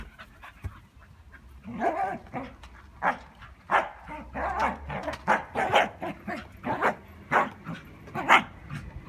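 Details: Scottish Terrier playing ball, giving a run of short, breathy bursts at a quick, fairly even pace, roughly two each second, growing louder and more regular after the first couple of seconds, with a low hum beneath.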